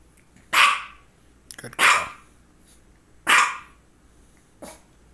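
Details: Pet dog named Misha, a female, barking around two focal seizures, one just before and one shortly after; four sharp barks about every 1.4 seconds, a faint rustle between the first two.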